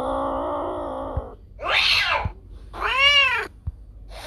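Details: Pet cat sound for scaring away rats: a low, level drawn-out meow, then a breathy hiss-like cry and a clear arched meow that rises and falls, with faint taps between.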